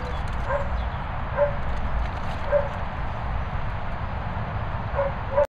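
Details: Dog at Bumble Hole giving short, clipped barks about every second, with a pause in the middle, over a steady low rumbling background.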